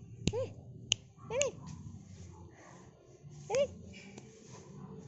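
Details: Seven-week-old poodle puppy letting out three brief arched yelps, each rising and dropping in pitch, spaced unevenly over a few seconds, mixed with sharp finger-snap clicks and soft household noise.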